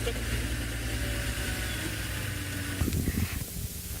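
An idling vehicle engine rumbles low throughout, with a brief burst of voices or movement near the end.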